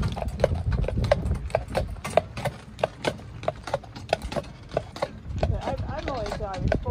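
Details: Shire horse in Dyfed pulling a ride-on cart, hooves clip-clopping in a steady, brisk rhythm of sharp knocks roughly every third of a second, with low rumbling wheels underneath and a person talking near the end.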